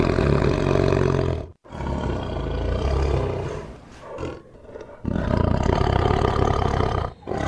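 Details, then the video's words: Tiger roaring: a loud, deep, rasping roar for about a second and a half, a brief pause, then another long roar that fades into lower growling before a final full-throated roar, with no other sounds. "Awesome Tiger Voice Sound"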